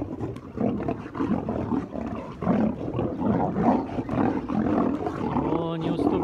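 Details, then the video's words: Loud scuffle between two white lions over treats in a Crimean lion park enclosure: dense, raspy snarling and growling pulses throughout, close and intense, with a voice briefly audible near the end. "The lions got into a fight"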